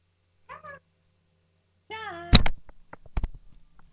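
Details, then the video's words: Lhasa Apso puppies: a brief whimper, then a longer wavering whine, followed by sharp knocks and thumps of movement as a person calls the puppy. "Lhasa Apso Puppies"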